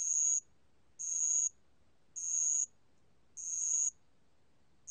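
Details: Bell cricket song from the National Institute of Biological Resources, 2020: bright, high, ringing bursts about half a second long, repeated roughly once a second with short silent gaps, over a quiet background.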